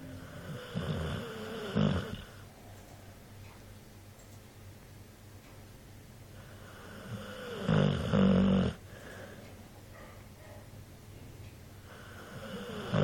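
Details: Mike, a dog, snoring indoors: rough low rumbling snores with a harmonic buzz, loudest in two bursts near the start and again around eight seconds, with quieter breathing between.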